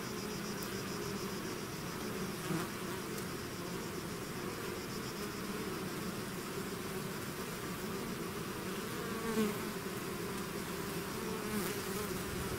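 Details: Bees swarming out of their hive: a thick continuous hum with layered droning tones, faint chirping overhead and a few brief nearer bee passes rising above the unbroken buzz.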